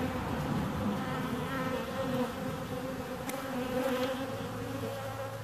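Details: Dense humming of bees, a thick steady drone with wavering overtones and one sharp click near the middle; a low hum settles underneath toward the end.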